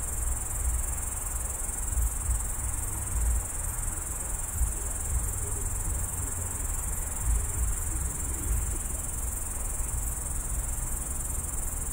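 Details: A single loud grasshopper heard at night from a roadside bush on the edge of Tallinn, Estonia, recorded on a phone: a continuous, steady high-pitched hiss with no breaks, over a low rumble of distant traffic.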